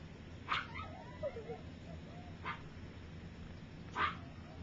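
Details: A litter of three-week-old puppies, some taking first steps and others sleeping; short sharp yips spaced about two seconds apart with a faint squeaky whine between them, over low background hum.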